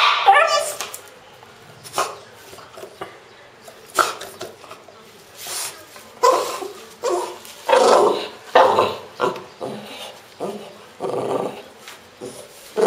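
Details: French Bulldog named Pro, kept as a pet, voicing strange sounds: softer scattered whines, grunts and grumbling bursts at irregular intervals, quieter than its louder barking.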